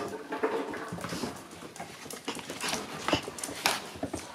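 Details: Shiba Inu puppies aged two months, lively and playing together inside; thin whimpering squeaks and a few sharp yips break through a steady clatter of scuffling paws.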